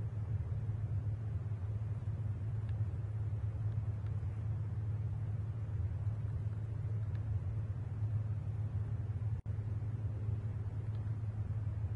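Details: Deep, continuous engine rumble like an idling vehicle fills the recording, with a brief dropout near the end and no animal calls.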